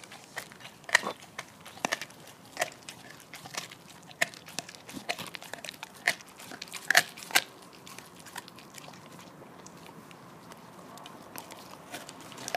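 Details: Lilly, a female Border Collie–Labrador mix living on the Stallgespräch Alfter farm, gnaws a bone in November 2015: sharp, irregular crunches and cracks, some in quick pairs, over a quiet background.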